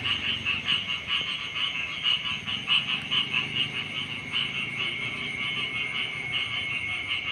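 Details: Morning chorus of frogs beside rice fields: quick rhythmic croaking pulses, roughly two per second, swelling and fading over a constant high-pitched background whine.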